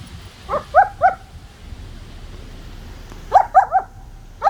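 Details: German Shepherd puppy at play with its sticks, giving short high yelping barks: a quick run of three near the start, then a tight burst of four after a pause and a last single yip at the end, over a low steady background hum.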